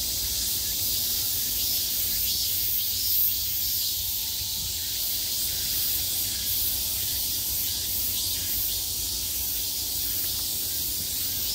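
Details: Cicadas at the peak of summer fill the air with a continuous sharp, high-pitched drone, very even in loudness, with a faint low background hum.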